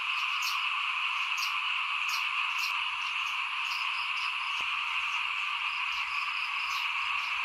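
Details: Small frogs chorusing outside a house during 2021 rice sowing. A continuous massed trill runs throughout, with brief sharp high ticks repeating roughly every half second above it.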